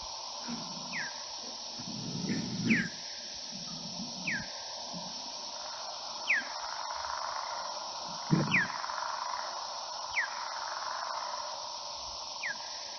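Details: Big brown bat (Eptesicus fuscus) echolocation, recorded by an acoustic recording unit during North Carolina NABat monitoring surveys, slowed to audible pitch: short, steep downward sweeps repeated every second or so.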